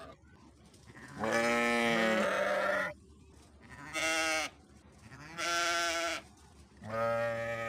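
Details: Sheep giving four drawn-out bleats, the first long and wavering, the later ones shorter with a rising then falling tone, quiet pauses between them.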